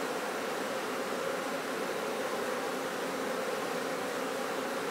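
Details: Honey bees at a bee farm producing honey, a dense unbroken buzzing hum with strong hiss and no pauses throughout.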